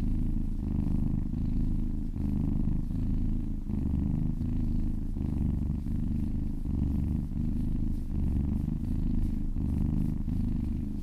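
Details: Purring kitten during a massage, continuous deep rumble broken into gentle regular surges about every one and a half seconds as it breathes in and out.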